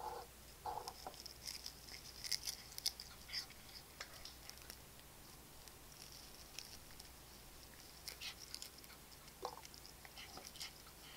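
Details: Domestic cats eating indoors from chicken-flavored wet food, Royal Canin Ragdoll dry food and bonito flakes; soft licking and crunching clicks cluster in the first few seconds, then scattered sharp crackles over a faint steady hiss.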